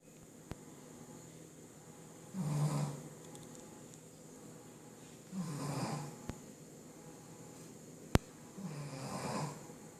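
A sleeping Shih Tzu snores with deep, rattling rumbles that swell and fade about every three seconds. A few sharp clicks punctuate the quiet room between breaths.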